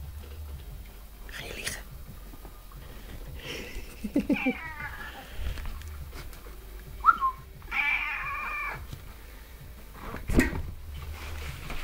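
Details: Domestic cat meowing back as its owner talks to it; several short harmonic meows around seconds 4, 7 and 8, with rustling, handling noise and a man speaking Dutch in a small room.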